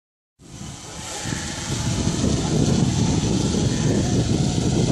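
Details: A loud, steady whirring drone motor starts abruptly and swells, filling the sound with broadband buzz and no audible animal.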